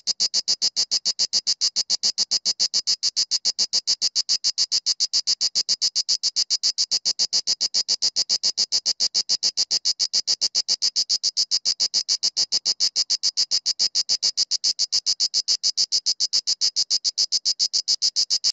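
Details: A Mediterranean cicada (Cicada orni) sings close by and loudly in Sueca in October 2017, with daytime temperatures above 22°C: a steady, rapid string of dry, high-pitched pulses, several each second.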